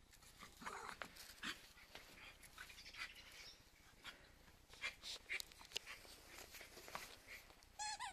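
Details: Cairn Terriers playing in the snow give short, scattered yelps and thin whines between bursts of crunching and rustling noise, with a brief high whine near the end.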